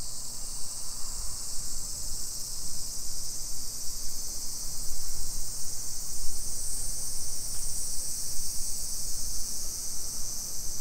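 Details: Afternoon cicadas in suburban Nagoya, Japan, 28 July 2021: a sustained, piercing high buzz that swells slightly in the second half, layered over footsteps and a constant low mechanical hum.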